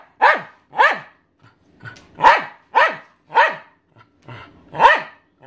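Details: Elderly female Welsh Terrier, 13 years old, barking to beg for her owner's dinner; six clipped, insistent barks spaced roughly half a second to a second apart, a brief lull midway, no other clear sounds.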